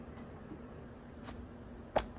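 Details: Guinea pig sneezing after a haircut, indoors: a faint short puff near the midpoint, then one sharp, louder broadband sneeze just before the end, over quiet room hiss.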